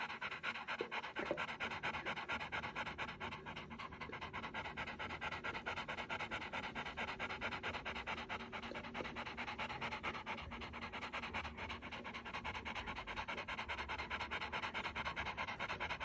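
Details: Rottweiler. Rapid, even panting from a Rottweiler, each breath a soft breathy rasp repeated more than twice a second. The rhythm holds steady throughout, with a faint hum in the background.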